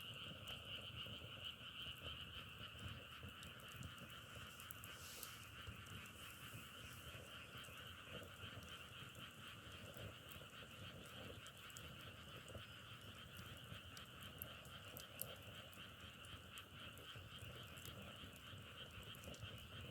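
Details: Frogs sustain a steady, droning chorus for twenty seconds, two even pitch bands pulsing rapidly, with scattered crackling pops like burning firewood and one brief hiss near the five-second mark.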